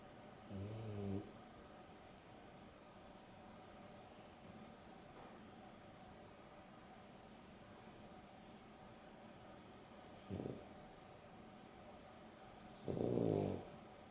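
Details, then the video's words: Two pet dogs, Dexter and Rio, a Boston Terrier and a Beagle cross, asleep indoors during an afternoon nap; Dexter snores. Three low, rough snore bursts come at irregular gaps, with long quiet stretches between them in a still room. "Boston Terrier and Beagle X (Dexter and Rio) snoring"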